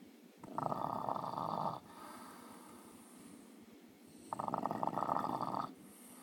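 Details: Sleeping French Bulldog holding a bone in his mouth, captured on a new iPhone, giving two harsh rattling snores of over a second each, spaced about three seconds apart with softer breaths between.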